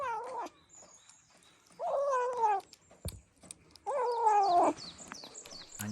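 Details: A rescued kitten eating canned food for the first time gives drawn-out, wavering growl-meows, rising and falling, in three bursts.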